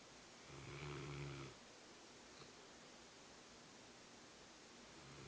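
A Rottweiler gives one deep, rumbling snore, followed by quiet indoor hiss.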